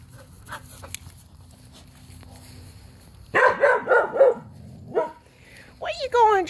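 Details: Outdoors, Jurnee, a three-year-old Skye Terrier awaiting adoption, breaks a quiet stretch with a rapid burst of five or six yapping barks, one more bark, then a wavering high whine-like sound.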